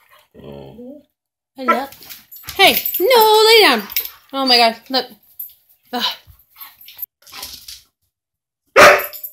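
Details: Pet dog 'talking', eager for bacon, makes a long series of wobbling, howl-like whines and moans that rise and fall in pitch, with one loud sustained stretch near the middle, while a person keeps saying 'I love you'.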